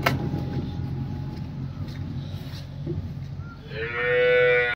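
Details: Cow offered for sale in Niphad, a young heifer of large build: low rumbling background noise and vehicle-like hum, then a strong harmonic moo rising in the final second.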